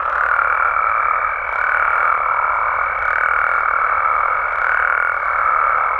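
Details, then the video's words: Mexican frogs and toads calling through the night: a thick, droning chorus under a steady high tone, pulsing louder roughly every one and a half seconds. "Mexican Frogs & Toads Sounds"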